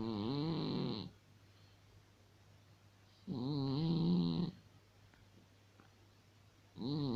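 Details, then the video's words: Cat snoring in its sleep in a small room: two humming, buzzy snores of about one second each, roughly three seconds apart, their pitch gently rising and falling, with near silence between breaths. "Вот так храпит кот"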